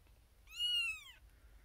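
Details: A single loud, drawn-out meow, arching up and falling away, from a female kitten born April 2021, first of her litter, crying for her owner's attention in a birthing box among six other kittens; quiet room otherwise.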